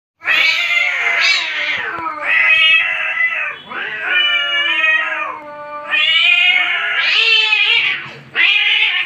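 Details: Angry cats in a fight, yowling in long harmonic wails that rise and fall, loud drawn-out cries in several bursts with brief dips between them, strident and nasal throughout, no other clear sounds.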